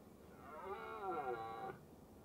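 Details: Red deer with a large calf during the rut, a hind tending her calf as a stag herds them up a hill; a nasal, harmonic-rich bleat lasting over a second, wavering slightly in pitch, over a low background rumble.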